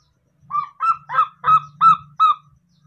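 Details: A newborn baby monkey that treats a cat as its mother gives six short, nasal, duck-like honking calls, about three per second, over a faint low hum.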